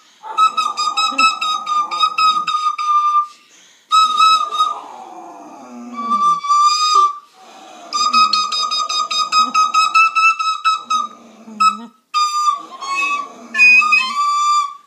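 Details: English setter singing, with sustained, high, wavering tones held for several seconds in repeated phrases, broken by short breaths and a few lower whining slides.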